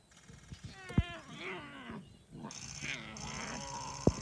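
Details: Lion cubs give odd moaning and growling calls while feeding, with a couple of sharp knocks in between.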